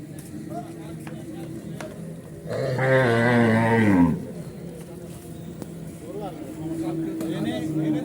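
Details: Unruly cattle at Horgoj market in 2025: one animal gives a single loud, low moo of nearly two seconds, rising then dropping, over steady market hum, with a man talking about the cattle afterwards.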